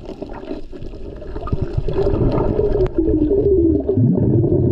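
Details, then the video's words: Humpback whale heard underwater by a GoPro while snorkeling off Maui during peak humpback season over President's Day weekend, mothers and calves nearby; drawn-out tonal moans and a rising low sweep over a rumble of water and bubbles. "Listen to the whales!!!"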